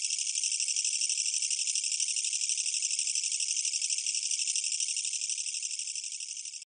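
A Korean katydid sings a loud, continuous, buzzy rattle made of rapid, even pulses.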